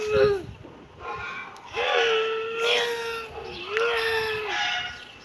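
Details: Kitten giving repeated drawn-out meows, each holding a steady pitch for about a second before trailing off, roughly every one and a half seconds, with a higher squeak at the start.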